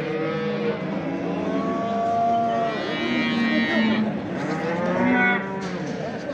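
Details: Calves at the Çorum livestock market in Turkey, owner absent; several drawn-out, overlapping moos over about six seconds, some sliding in pitch, with steady market crowd noise behind.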